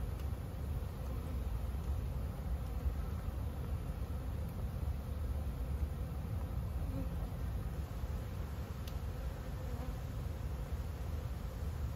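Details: A dense, steady, unbroken hum of many honey bees buzzing at ten busy hives bringing in nectar during a strong flow.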